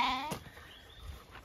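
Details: A Zwartbles sheep, likely a lamb unsure which direction its mother went, gives one short, wavering bleat as the flock moves into fresh pasture on a regenerative farm in County Kilkenny, Ireland, in spring; then the field falls quiet.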